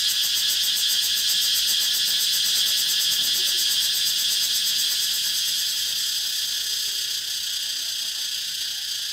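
Cicadas fill the air with a dense, shrill, continuous buzz, finely pulsed so it shimmers rather than holds still. A faint low hum sits quietly underneath the insects.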